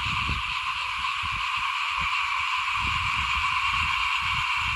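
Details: Many frogs call in front of a house while rice is sown for planting in 2021. Their dense, continuous chorus makes a bright, steady buzzing wall of sound, broken below by soft low knocks and rumbles.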